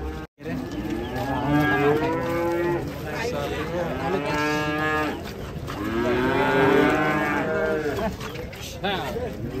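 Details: Fat cattle being loaded onto a tilting truck on a muddy road give long, drawn-out harmonic moos, several overlapping bellows rising and falling over about a second each, with men talking in the background.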